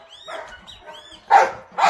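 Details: Belgian Malinois during off-leash obedience training, giving two sharp, loud barks close together near the end, preceded by soft whistled sweeps and quieter harmonic sounds.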